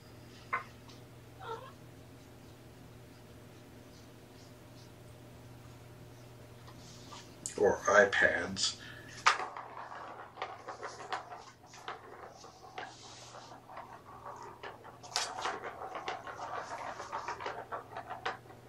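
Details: Litter of four shelter kittens, three males and one female, with mother Seraphina at Purrfect Pals, indoors on an afternoon, 28 November 2018, during petting and a brushing test: a loud harmonic meow burst midway, then scattered clicks, bumps and human talk in a small room.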